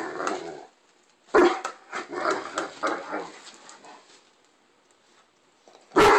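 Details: Indoors, a Great Dane in a temper tantrum over a bone he finds not good enough lets out a loud bark, then a string of grumbling, talky moans, pauses, and ends with another sharp bark.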